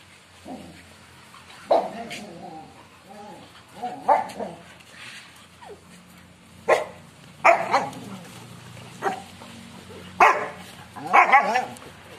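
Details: American Pit Bull Terrier in Sri Lanka giving a string of short, uneven whines and yelps with harmonic bands, some rising and falling, separated by brief pauses; low steady hum beneath.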